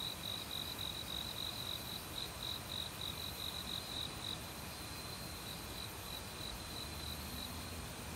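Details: Forest cricket in autumn near a mountain stream, among many insects, recorded without professional gear. Rapid high-pitched chirps, roughly three to four a second, are clearest early, then fade to a softer pulsing under the continuous broadband rush of flowing water.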